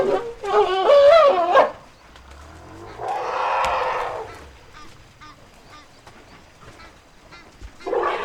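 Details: A struggling baby elephant being helped by its mother gives a high, wavering, harmonic scream, followed by a rougher, breathy trumpet.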